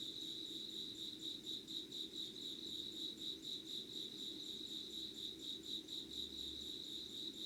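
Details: Early-morning insect chorus recorded at dawn, 25 August 2019, in Yugawara, Kanagawa, Japan; continuous high-pitched trilling pulses, roughly two per second, layered from several insects over quiet low ambient noise.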